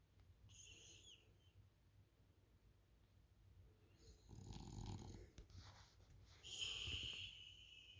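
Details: On a couch, a sleeping French Bulldog makes a short, high, whistling wheeze, then a rough, low snore of about a second, then another thin, high-pitched nasal whistle.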